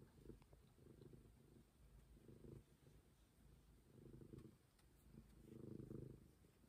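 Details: Momi, a street cat, purrs in low rumbling bursts that swell and fade with each breath, roughly every one and a half to two seconds, with a faint steady hum behind.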